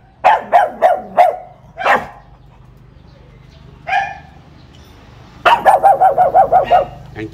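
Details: Caged pug guarding its new home's doorway while a visitor teases it: four quick barks, a single louder one, a lone bark after a pause, then a fast run of about seven barks at the end.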